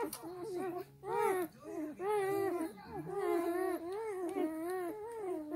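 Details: A litter of black German Shepherd puppies suckling while their mother sleeps: loud rising squeals then a series of wavering, quavering whines about once a second, multiple pups crying together, with faint rustling underneath.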